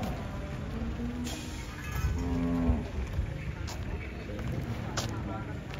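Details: Large cattle being unloaded from a truck; a short low moo around the middle, amid crowd noise, people talking and scattered knocks.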